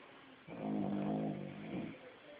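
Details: Puppy Lady Indiana napping in a basement, snoring like crazy: one long, loud, throaty snore with a low harmonic buzz, swelling and then fading over about one and a half seconds, in a quiet indoor room.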